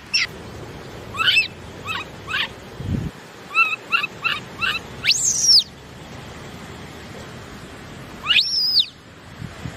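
A baby monkey gives thin, high squeaks in quick bursts, then two louder arching squeals.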